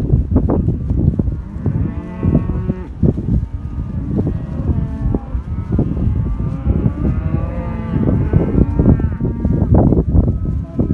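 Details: Black Aberdeen Angus cattle, heifers and cows from southern Córdoba, moo repeatedly, with several overlapping long calls through the middle and end, over loud knocking, trampling and herd movement.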